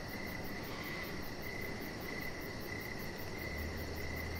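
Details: Crickets in the evening beside a deck where a chihuahua puppy lies under decoration lights; a steady pulsed chirp repeats about every 0.7 seconds over a continuous low rumble.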